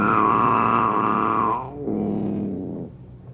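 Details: Angry caged cat among two, giving a sustained harmonic yowl for about one and a half seconds that slowly sinks in pitch, then a lower, rougher growling moan trailing off.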